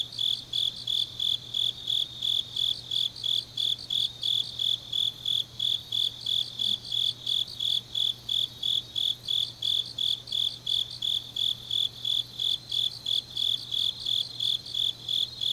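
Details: Changnyeong, Korea, deep in an autumn night: grass insects give a continuous run of high, rhythmic chirps near three per second, joined by a fainter overlapping chorus and a steady low hum.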